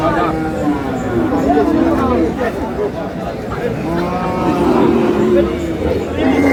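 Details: Cattle at Aftabganj haat, a livestock market where lean, bony cows are sold, dated 9 May: drawn-out, mid-pitched moos rise and fall under a steady hum of buyers bargaining and crowd chatter.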